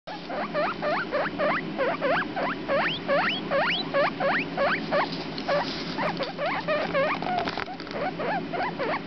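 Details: Two 4-day-old baby guinea pigs, a boy and a girl named the runt and Comet, give rapid rising squeaks, about three per second, each sweeping sharply upward, steady and continuous over a low background hum.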